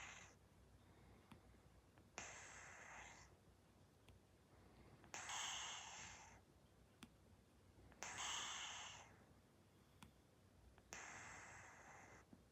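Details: Persian cat fast asleep and snoring: soft, breathy, hissing bursts of air come roughly every three seconds, five in all, each about a second long, with quiet pauses between them.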